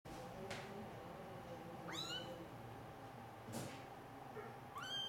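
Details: Rescued female kitten, two or three days after being pulled from drowning in an irrigation canal, gives two high, thin mews that rise then fall, near 2 and 4.8 seconds, with faint clicks and a steady background hum.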